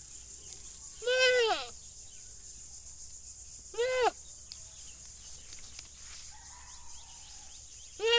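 A goat gives short, nasal, wavering bleats, separated by a few seconds of quiet.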